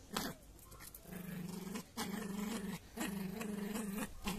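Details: Jack Russell Terrier puppy indoors, growling while playing with a toy elephant; low rumbling growls in bursts of about a second, separated by short gaps and faint panting.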